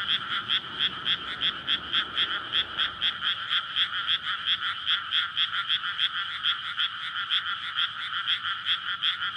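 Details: Many frogs in courtship chorus over a water-filled rice paddy on a May night in Japan, recorded with a SONY PCM-D100; fast regular croaking beats overlapping continuously, faint low roadside noise early on.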